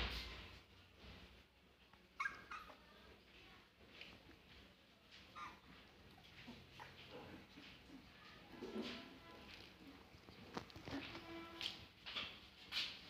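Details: Three-week-old Siberian Husky puppies playing and fighting together; thin high whimpers and squeaky yelps scattered through, with soft grunts and a few sharper yips near the end over a faint background hum.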